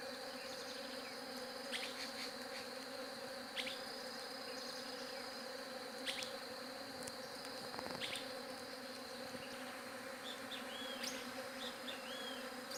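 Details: Bees buzzing in a steady, droning hum with layered tones, while small birds chirp and whistle in brief rising notes above it.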